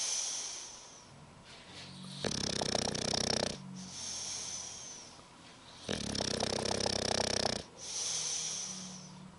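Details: Sleeping English bulldog named Spike snores in a steady cycle: harsh rattling inhalations roughly every three and a half seconds alternating with high, thin whistling exhales.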